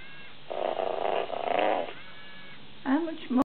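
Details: A very tame lion cub makes a rough, pulsing growl-like sound lasting over a second, then short, bending, harmonic mews at the end.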